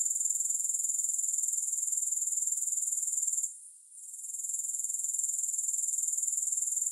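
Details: A shrill, continuous grasshopper trill, with no music, beats evenly about four times per second. It fades sharply for roughly half a second near the middle before returning to the same high, pulsing drone.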